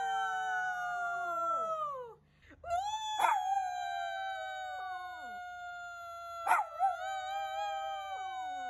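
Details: Shih Tzu howling in sustained, mournful tones that glide slowly downward, rich in harmonics, with a brief break near two seconds, then a long steady howl punctuated by two sharp louder accents.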